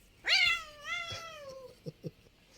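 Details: Pet cat giving one long, loud meow that starts high, slides down and trails off over more than a second, followed by a few soft clicks and taps.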